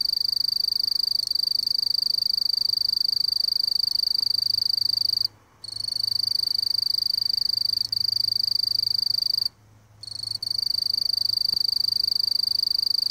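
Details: A mottled bush cricket (Eurepa marginipennis) sings a sustained shrill pulsing trill, stopping twice for about half a second before carrying on; a faint low hum runs underneath.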